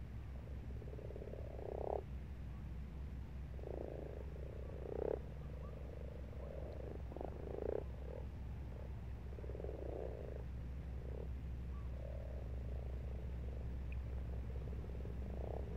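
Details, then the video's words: Several frogs in a pond during March give rough, pulsing croaks in short bursts every one to two seconds, a chorus of overlapping callers over a constant low background hum. "Croaking Frogs"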